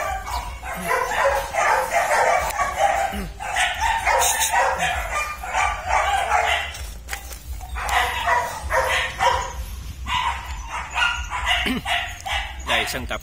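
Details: German Shepherd litter, descendants of IVanka and MoRoc, kept at a Vietnamese kennel: several young dogs bark and yip almost continuously, overlapping bursts with brief pauses, a few whines near the end.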